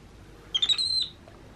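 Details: Baby monkey Happy in his playroom lets out a single brief, high whistle that climbs and wavers for about half a second in a quiet room.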